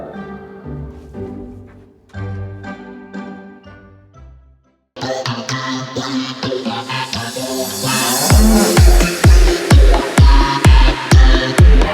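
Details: Music only: soft strings give way to a thumping electronic dance beat, with no animal calls. A brief silence separates the two passages.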